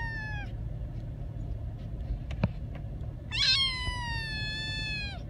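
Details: Young kitten in a car being driven home gives two plaintive, harmonic meows, one short and one longer drawn-out cry, against constant low engine and road hum.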